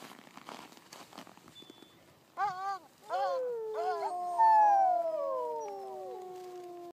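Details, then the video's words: In La Plagne, huskies start with a few short arched yelps after a quiet rustling start, then swell into a chorus of long, slowly descending howls. "Huskys howling"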